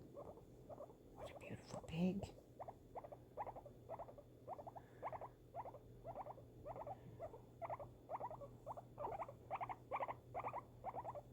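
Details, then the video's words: Female guinea pig kept as a pet, reacting to fireworks: steady short buzzy chirps repeat about twice a second. A woman's soft voice cuts in near the two-second mark, and a faint low hum runs throughout. "guinea pig reaction to fireworks"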